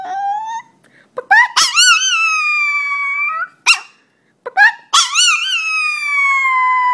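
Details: Dog, said to be scared of chickens, giving long high whining cries that waver and fall, several bursts with short gaps, some sharp yips between.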